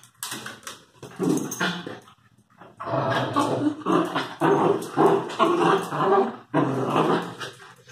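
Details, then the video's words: Lakeland and Airedale terrier puppies, growling and whimpering in rough bursts that come in dense runs for most of the clip, with short pauses between. "Filhotes terrier"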